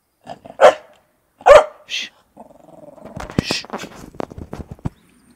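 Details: A Staffordshire-type pet dog lets out loud, sharp barks, two strong ones close together, then a growly grumble and scattered snorting and clicking noises indoors.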